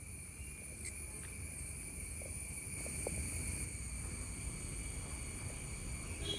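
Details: Cicada. A continuous, high-pitched cicada buzz holds steady throughout, layered in a few shrill bands. This loud drone comes from the males in summer, set over a low, rumbling outdoor background.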